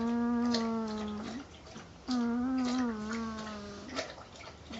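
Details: Sleeping Northern Inuit puppy, a 10-day-old female, produces a whistly snore: long even tones of about a second, the second one wavering slightly, separated by quiet breathing gaps.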